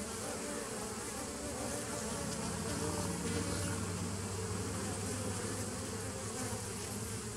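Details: Bees on 27 September 2018 make a continuous low buzzing hum that swells slightly in the middle seconds, with a deep droning tone running steadily beneath a broad hiss.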